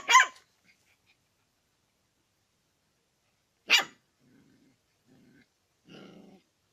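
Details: Dog barking while wanting to eat hot chicken: two sharp, loud single barks about three and a half seconds apart, separated by near silence, followed by soft low rustling noises.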